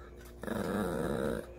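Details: Maltese dog indoors under the table, begging for food while family eats gimbap, giving one sustained harmonic growling whine about a second long, with a woman's voice talking before and after.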